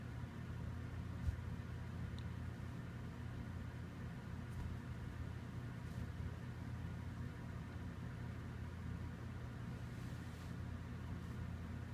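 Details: A low, steady rumble like an idling engine, with a few faint clicks; no animal sound.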